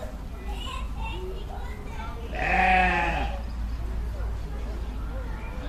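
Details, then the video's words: Sheep letting out one loud wavering bleat midway, with quieter bleats from other sheep around it and a deep constant rumble underneath. "Sheep Sounds | Sheep Sound Effect"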